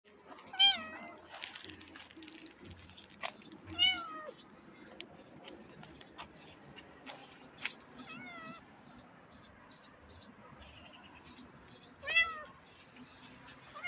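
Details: Stray cats with a tiny kitten giving short, clear meows, each bending down in pitch, about four separate calls spaced several seconds apart, with faint soft voices and light rustling between them.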